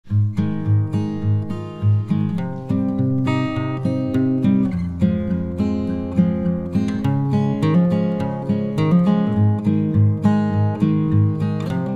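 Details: Strummed and plucked acoustic guitar music fills the whole stretch, rhythmic and melodic, with no animal calls heard.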